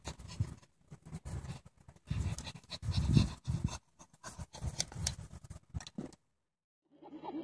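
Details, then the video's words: Indie, a female chimpanzee at the Save the Chimps sanctuary, gives a breathy, panting belly laugh while playing. Rhythmic bursts of hoarse, low grunting breaths come in clusters, pausing briefly between bouts, before a person's voice near the end. "Indie the Chimpanzee Laughing"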